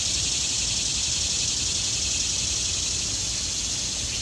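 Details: Cicadas singing in the trees in autumn: a dense, unbroken high-pitched buzzing drone that holds steady in loudness throughout, with no other distinct sounds standing out.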